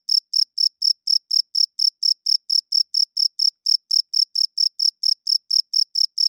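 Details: Night-time cricket song of evenly spaced, shrill, high chirps, roughly two per second, holding a steady loudness and rhythm throughout.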